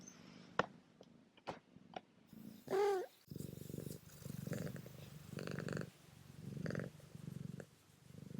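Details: Kitten Remi, a male, purrs in his new collar with a bow and bell; a single rising meow cuts in early, then loud rhythmic purring continues with rustling and jingling bell.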